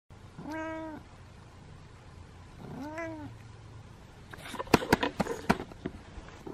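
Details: Kitten giving two short, clear meows about two seconds apart, each arching up then falling, followed by a burst of sharp clicks and knocks.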